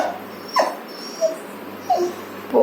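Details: Puppy at home calling its owner to alert that someone is coming; four short, high whimpering yelps spaced about every 0.6 seconds, each a brief falling squeak, with a woman talking in Tamil nearby.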